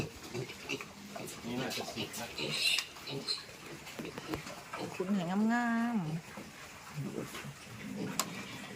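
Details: Pigs on a farm in Thailand as piglets are moved into fattening pens: a long, harmonic squeal of wavering pitch lasting about a second, amid scattered grunts, clattering pen noise and people talking.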